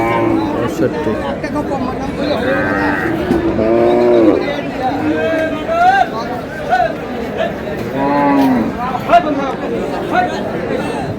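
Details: Beef cows offered for sale at Aftabganj cattle market on 22 April: two low, drawn-out moos with clear harmonics near four and eight seconds, nearly buried under steady crowd chatter and haggling voices.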